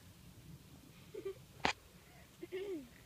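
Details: English bulldog puppies, five weeks old, from the Pebbles and BamBam litter born 9/7/14, at play indoors; two short, thin whimpers, the second rising then falling, separated by a sharp sneeze-like snort, with quiet room noise.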